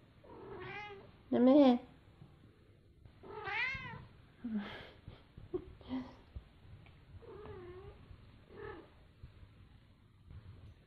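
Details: Two young kittens tussling in a tangled fight, neither giving way; a series of harmonic meows, some rising then falling, one loud strained cry early on, then shorter wavering calls spaced a second or two apart, indoors.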